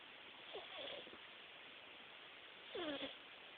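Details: Himalayan cat snoring loudly while napping: two nasal, whistly tones that slide downward, one near the start and a stronger one toward the end, over a steady hiss.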